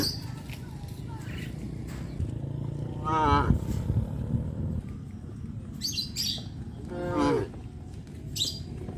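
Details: Cows walking the village road to the livestock pen in the afternoon; two brief moos several seconds apart, the second sliding downward, amid low rumble and scattered higher clicks and chirps.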